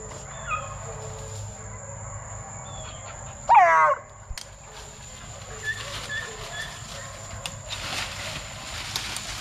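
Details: Plott Tan puppy, a cross of Plott hound and black and tan coonhound, between eight weeks and five months old. A single sharp, quavering yelp stands out midway through otherwise quiet outdoor background noise with faint clicks.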